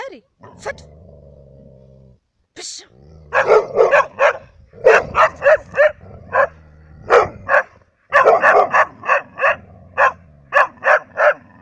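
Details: Barking from Labradors and a hunting dog in Cyprus. A steady low hum opens the recording, then repeated sharp barks come in irregular clusters, some doubled, continuing to the end.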